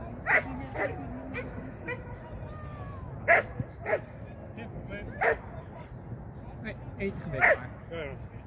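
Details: Shetland Sheepdog during its first training lesson, 2023: loud clipped barks spaced unevenly, several in quick pairs, mixed with a person's speech and a low background hum.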